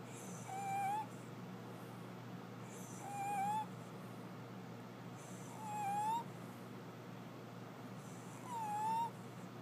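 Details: Louie, a small pet dog, snoring while asleep: four whistled nasal tones, each about half a second long with a slight rise, arriving roughly every two and a half seconds over soft breathy noise and a steady low hum.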